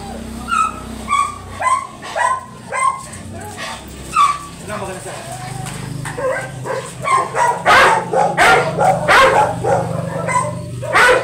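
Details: Very big yellow Labrador at a stud service in Manaoag, Pangasinan, giving high, tonal whines and yelps, about two per second, with people talking throughout.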